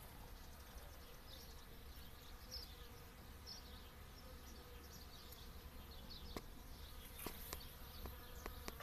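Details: Honey bees working pumpkin flowers in the early morning: a faint, steady low buzzing hum runs throughout, with a few sharp clicks toward the end over quiet outdoor background.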